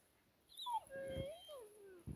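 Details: German Shepherd named FLY playing in deep snow gives a drawn-out, high whine that slides down and wavers before ending in a soft thump, while a person urges it to fetch a stick.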